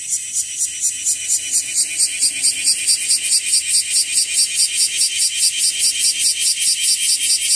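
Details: Bear cicada (wasiwasi), whose numbers are rising, calling among trees and grass: a loud metallic buzzing chopped into quick even pulses, about two or three each second, swelling slightly in strength toward the end.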